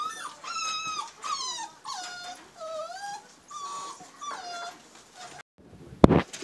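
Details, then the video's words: A newborn Siberian husky puppy from Liv's March 2017 litter whines in a steady series of drawn-out, harmonically rich cries, some rising and some dipping, followed by a brief pause and a sharp burst of noise. "Siberian Husky Puppy Litter"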